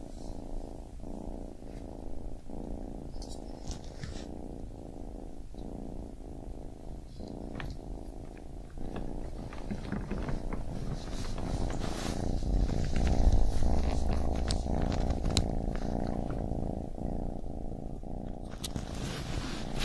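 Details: Baby kitten purring steadily, a low rumbling buzz broken into breaths about every quarter second, with faint clicks and rustles as it goes on.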